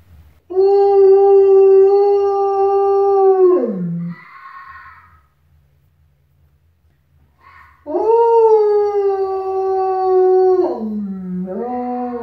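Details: Pet wolfdog howling back at a fennec fox that calls out in the morning before breakfast: two long, steady, smooth tones with rich harmonics, each ending in a downward slide, separated by a short pause with a brief rough call between them.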